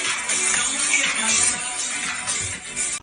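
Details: Electronic dance music with a steady beat plays throughout, with no animal sounds.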